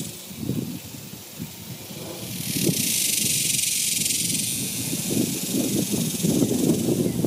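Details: In summer 2021, cicadas fill the air with a steady, high, hissing buzz that swells after a couple of seconds.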